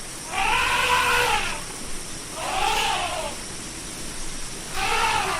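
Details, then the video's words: Elephant trumpeting: three brassy, arched calls about a second long, each rising then falling in pitch and spaced roughly two seconds apart, over a steady hiss of background noise. "SOM DE ELEFANTE: O Barulho Real do Maior Animal Terrestre do Mundo"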